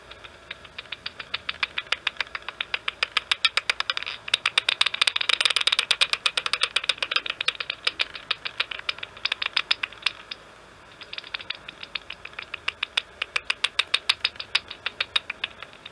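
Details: Serotine bats, three or four, flying at Andijk on a fine evening of 7 May 2023, picked up by a bat detector: rapid trains of dry, ticking clicks, dense and rattling mid-clip, a brief lull near ten seconds, then steady pulses resume.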